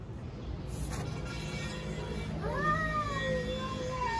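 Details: Stray domestic cat in Istanbul challenging a rival over territory: after quiet background hum, one drawn-out wavering meow begins midway and slides slowly downward for nearly two seconds.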